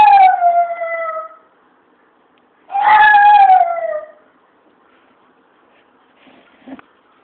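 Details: Chihuahua singing along: two long descending howls, the second swelling then falling away, followed by near silence and a faint short sound near the end.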